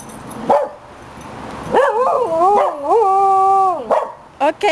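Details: Young two-year-old Cocker Spaniel howls comically, like an old dog. After a brief yelp comes a sustained wavering howl of about two seconds that dips and rises, then fades out, followed by two short yips.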